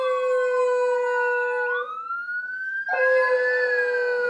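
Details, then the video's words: Pepper, a new pet beagle described as very quiet, howls along with a passing ambulance siren; a long rising-and-falling drawn-out tone blends with the steady, loud wailing siren that dominates throughout. "Pepper howling with ambulance siren"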